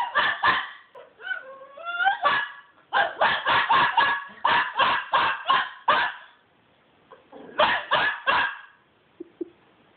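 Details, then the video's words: Naughty pet dog Toby lets out runs of sharp, yappy yelps in quick bursts. A rising, whining cry comes between them, with a short silent gap before the last cluster. "Toby crying"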